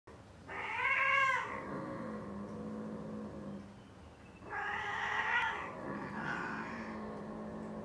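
A British Shorthair cat lets out drawn-out, harmonic yowls that rise and fall, then a second, louder burst after a pause. These loud, wailing caterwauls are the cat's mating calls.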